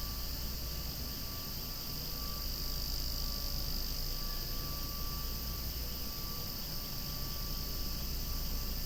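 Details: Cicadas calling so loudly they are almost noisy, among swaying flowers; a continuous, steady high-pitched droning hiss with no breaks, over a constant low rumble, with a faint thin tone running throughout.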